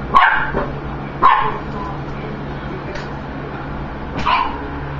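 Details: A dog barking at food: three sharp barks, one at the start, one about a second later and one near the end, with a faint extra yip between them, over a steady low hum.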